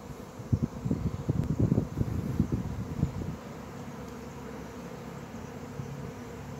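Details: Thousands of honey bees swarming around a person in a square in central Pisa, Italy, beside the Church of the Knights of Santo Stefano, just after nine in the morning; low insistent droning hum with bursts of closer wingbeats.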